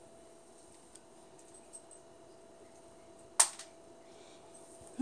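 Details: A quiet indoor room hum with a steady faint tone and one sharp snapping click near the end, with no animal voice.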